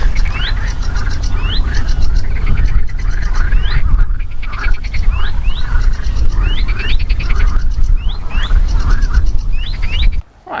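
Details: Marsh frogs at the flat Dungeness RSPB nature reserve on England's south-east coast in May call unseen in a chorus of rapid, chuckling, laugh-like rattles repeating every second or so, heard everywhere.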